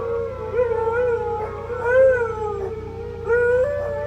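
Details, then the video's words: A steady, low hum runs under continuous overlapping howls from a household of four huskies and a Pomeranian. The voices slide up and down and swell near the middle and end. "the noise of my four huskies and Pomeranian"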